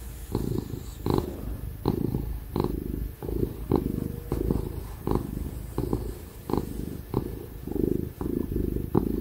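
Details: Contented ginger house cat purring during pats and cuddles, a deep continuous rumble broken into rhythmic in-and-out breath pulses about every three-quarters of a second, over a steady hum from a laptop computer fan.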